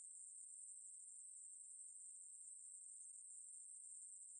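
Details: A Ruspolia katydid sings in a 2020 recording from Korea's National Institute of Biological Resources, a thin, piercing, sustained buzz with no breaks or rhythm changes, alone against silence.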